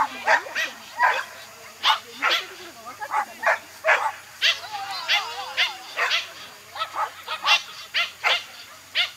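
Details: Small Toy Poodle barking during an agility run, a steady string of clipped, piercing yaps roughly two per second, some doubled, over a low murmur of background voices.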